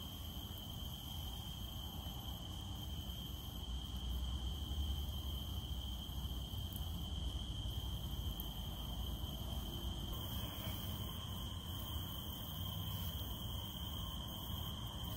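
A cicada holds a steady, high, unbroken whine over the soft patter of rain.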